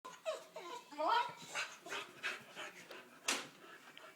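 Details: Female Boxer dog indoors making her usual odd whining noises; a few high, wavering whines in the first second, then a person's voice urging the dog to go get him.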